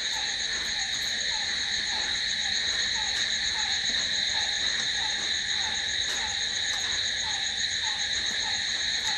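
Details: Night-time crickets keep up an unbroken, shrill buzzing trill in stacked high tones, with a softer low peep repeating roughly twice a second through the whole stretch.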